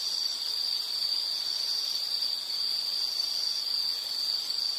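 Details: High insect trill held as one continuous, even ringing tone with a faint background hiss and no breaks.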